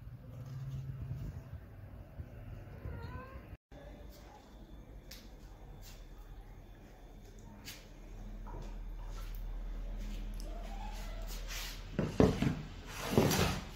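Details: A pet cat meows indoors, giving a few short, rising mewing calls early on and again midway. Human voices, rustling and clicking handling noises surround them, with louder bumps near the end.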